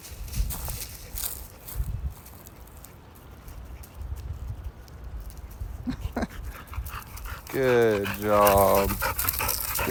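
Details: Labrador puppy fetching a ball; after background rustling and a person's encouraging words, a brief high whine with a wavering, falling harmonic tone near the end.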